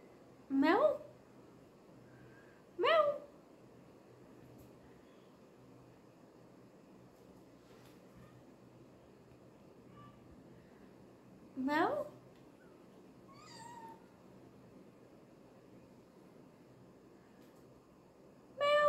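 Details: Kitten siblings calling indoors: brief sharp meows sweep quickly upward, spaced by long quiet gaps, with one softer bending call midway and another cut off at the end.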